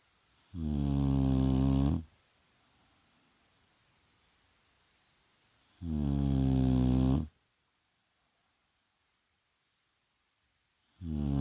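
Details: Daytime nap of a Shar Pei called Vaya, snoring in long rasping breaths about one and a half seconds each, repeating roughly every five seconds, nothing else audible in the quiet room.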